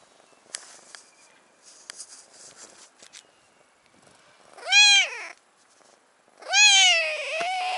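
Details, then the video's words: Brown tabby stray cat on Cat Island (Japan), asking to sit on a knee: two loud harmonic meows, the first rising then falling near 4.8 seconds, the second longer and drawn out near 6.7 seconds, after soft rustling and clicks. "Brown tabby cat on knee"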